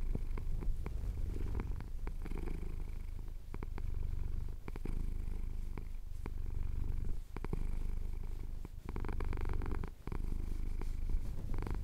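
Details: Domestic cat purring as his chin is scratched during a Cotswold hills sunrise, recorded on a Tascam DR-07X: a continuous low rumbling purr swelling and fading with each breath, broken by soft clicks and rustles.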